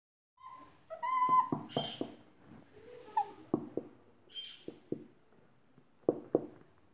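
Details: Labrador Retriever puppy wearing a new dress: a few high, thin whining whimpers with bright overtones, followed by scattered short sharp clicks and taps spaced irregularly across the seconds.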